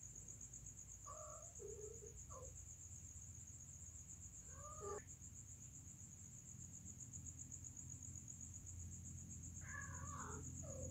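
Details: Mating cats utter brief, curved, tonal cries in scattered bursts: a pair near the start, one arching call at mid-clip and a cluster of wavering yowls near the end, with a constant high-pitched hiss and low hum behind.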